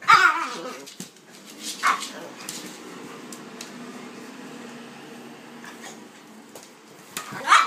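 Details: A Pitbull and a King Charles Spaniel playing together. Short, sharp barks or yips come at the start, again near two seconds and at the end, with steady rough background noise between them.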